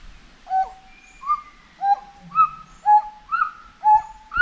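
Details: Monkey in a forest giving a steady series of whistled hoots, each a sharp upward flick that levels into a flat tone, repeated roughly twice a second with little else heard.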